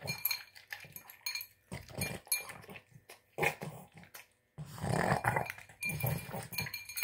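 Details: Boston Terrier gobbling a tuna, egg and kibble dinner, producing irregular wet snorts, snuffles and smacking gulps in quick bursts, with a brief silence before a louder run of snarfing.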